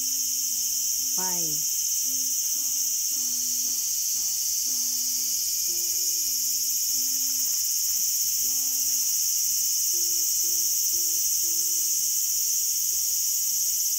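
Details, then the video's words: A small garden's cicada on August 5, 2020 keeps up a constant shrill buzzing hum, while plucked-sounding low notes and a quick descending glissando near the start play softly below. "The sound of Cicada."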